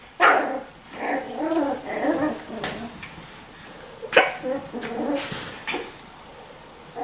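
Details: Young Miniature Schnauzer puppies, 6 and 4 weeks old, trade a busy run of small rough barks and growly yaps, several sharp bursts spread across the clip.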